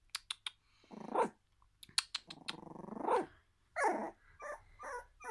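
A Jack Russell Terrier gives drawn-out, growly vocalizations that rise and then fall, after a few sharp clicks.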